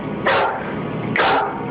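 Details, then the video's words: Full-grown dog barking nervously in a hallway while backing toward the door, refusing to pass a certain line. Two loud, rough barks about a second apart, over a faint background hum. "Listen, when your full-grown dog is barking nervously and actually backing towards the door to get away, it's time to get the heck out of that room yourself."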